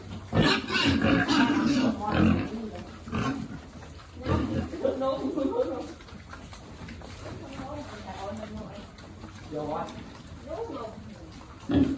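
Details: Farm pigs grunting and squealing during piglet feeding, in a mixed group of resident and rescued animals; harsh squealing bursts at the start, then softer repeated grunts and a final loud squeal.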